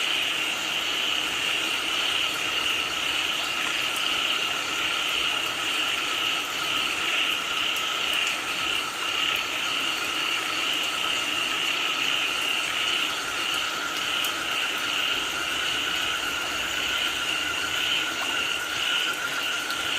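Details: Frogs calling during rainfall: a dense, unbroken chorus of high trilling pulses holds steady for the whole stretch, layered over a lower humming band and a constant hiss.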